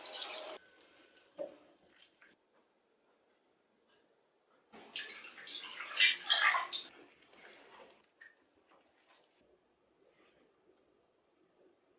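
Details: Water drips and splashes in a small room, with a louder burst of running water midway and no animal voice.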